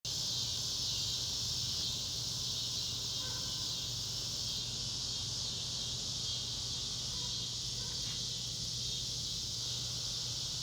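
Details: Cicadas in a loud chorus in the Ozarks of northwest Arkansas: a dense, steady high-pitched buzzing drone that holds unbroken throughout, with a faint low hum underneath and a few soft chirps from other insects.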